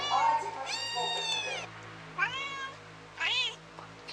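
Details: Domestic cat meowing in a van while unable to find the baby kitten; a long steady meow followed by two shorter rising-falling mews, spaced about a second apart, over a low background hum.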